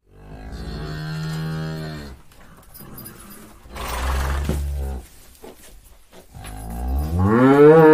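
A buffalo gives three deep, drawn-out moos, the last one rising in pitch and swelling louder.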